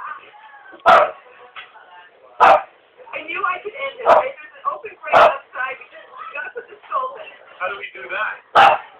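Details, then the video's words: A pet dog barking indoors: five sharp, loud single barks spaced about one to three seconds apart, with people talking continuously between them. "the barking dog"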